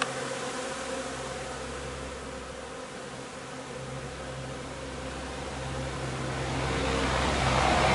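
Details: Honey bee hive during linden nectar collection on 3 June: a dense, steady droning hum of many bees with layered low tones, growing louder over the last seconds.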